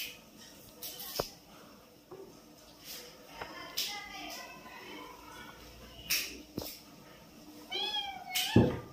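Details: Lucy, a blue-eyed kitten at play with her mother, gives a short rising-falling meow near the end after faint earlier mews, amid soft clicks, taps and a brief voice indoors.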